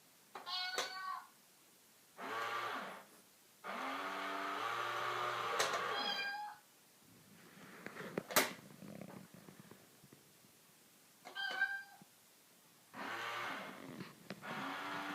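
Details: Two domestic cats, one sitting in a box, trade long moaning meows and short chirping cries in a small room, several sustained wails broken by pauses, sharp knocks and a brief click near the middle.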